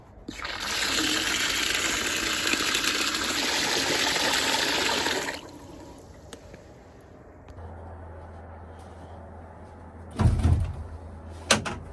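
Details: Water gushes for about five seconds, then a quiet hum follows with a few knocks and thuds, and no pig grunts are heard.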